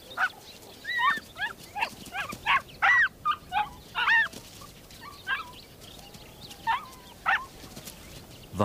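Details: Endangered Ethiopian wolves in alpine tundra; pups at the den mob adults back from hunting until they cough up food. Excited, overlapping, bending whines and squeals, some rising then falling, coming in quick irregular clusters.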